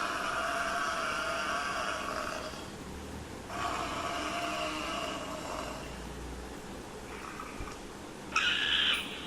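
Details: A buffalo's long, droning moans, two extended nasal calls one after the other, followed by a brief, sharper, higher-pitched sound near the end.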